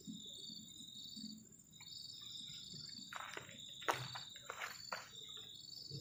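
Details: Night crickets at a garden camping shelter by the forest keep up a thin, high continuous trill while clattering and scraping sounds from cooking break in near the end.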